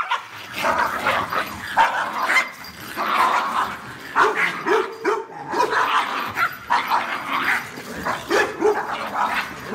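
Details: Dog giving loud, deep, full-sounding barks of the sort said to guard a house well; harsh barks come in quick, dense bursts one after another across the whole stretch, with hardly any quiet gaps between them.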